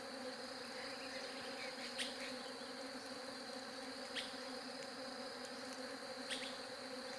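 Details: Unchanging droning hum of bees throughout, with faint clicks roughly every two seconds over the buzz.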